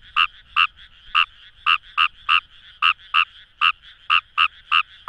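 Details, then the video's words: Short bout from a Kawamura's rice frog in paddy fields at the Kamo River, Itoshima, Fukuoka, Japan: about thirteen punchy, nasal croaks delivered quickly and somewhat irregularly, with a quiet backdrop. "Wild Frog Call | ヌマガエル"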